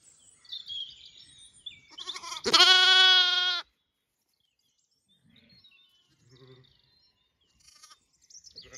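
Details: Zwartbles lamb on a regenerative farm in County Kilkenny, Ireland, calling while the ewes eat breakfast: one loud, wavering, high bleat of about a second, with soft rustling and faint chirps around it.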